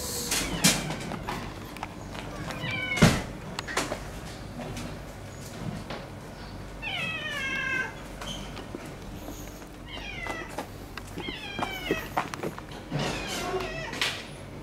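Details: A neighbourhood cat known locally as very friendly, a white tabby female, living with a rival cat that has settled into her sleeping spot. Several short meows with clear harmonic stacks, scattered clicks and knocks, and brief speech.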